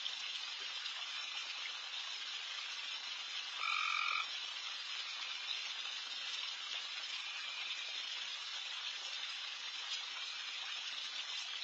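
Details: Insanely loud frogs crowd a backyard late at night, forming an unbroken high-pitched wash of calls. A single brief, brighter trill stands out near the middle.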